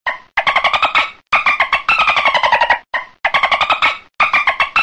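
Dolphin giving buzzy, rapidly pulsed squawks in short bursts, each with a steady nasal tone.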